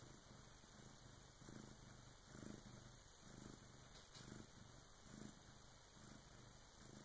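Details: Bengal cat Karma purring while giving birth to her first kitten, with help from her big sister; soft, low rumbling purr that swells with each breath about once a second, over a quiet, steady background hiss.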